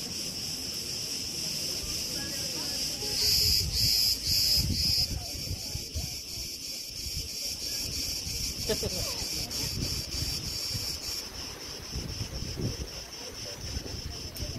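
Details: Crickets at Preveli Beach, Crete, recorded in August 2020 amid windblown tree branches: a continuous high trill with a brief stretch of louder, separate pulses midway, under soft, gusting wind.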